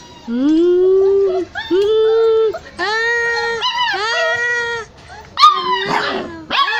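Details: Hungry stray puppies, including Browny and Kabang, crying while searching for their mother; long, high, tonal whines rise and fall, several held over a second, ending in shorter broken yelps.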